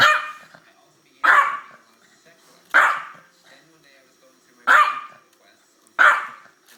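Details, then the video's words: Sneezing from a 13-year-old Yorkshire terrier during a play-fight with a pit bull. Five abrupt, breathy bursts at uneven gaps of one to two seconds, with light rustling between them. "Yorkshire terrier attacking pit bull and sneezing"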